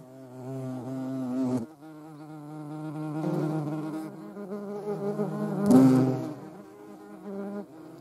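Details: European hornet, filmed alongside a median wasp, giving a steady low droning wing buzz with rich harmonics that swells and fades as it moves, with a brief louder surge near the sixth second.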